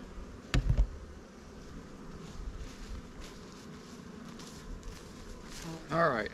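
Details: Honey bees from a recent swarm capture hum steadily around an open hive as empty frames are brought in; a sharp knock early on and a man's voice closes the passage.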